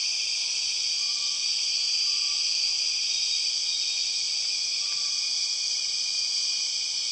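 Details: Steady, intense high whine of empress cicadas in the Borneo rainforest, banded and unchanging, with a few soft short lower whistles scattered under it.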